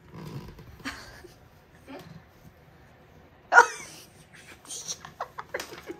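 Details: Callie, a pet dog playing with her owner indoors, gives one sharp, loud bark midway, preceded by quieter muffled sounds and followed by a run of short clicks and taps. Owner's voice is heard giving commands.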